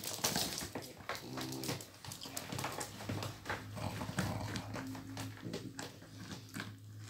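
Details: Indoor play as Flash, a year-old Miniature Pinscher, takes a toy from Hanna, an elderly Pitbull with degenerative disc disease. A harmonic, moaning growl swells early on, followed by softer grumbling and scuffling through the rest.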